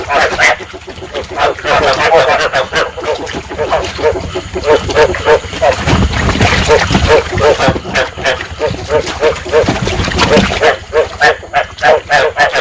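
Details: Breeding calls of rice field frogs from Vietnam, meant to attract frogs into traps: many overlapping nasal croaks pulse rapidly and continuously, with a low rumble of wind or water around the middle.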